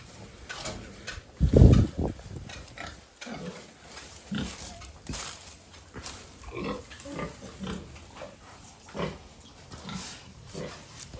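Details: Pregnant sow on a farm, about two months into gestation and off her feed for two days, giving a series of low, short grunts every second or so, one louder grunt near the start, with a man talking quietly nearby.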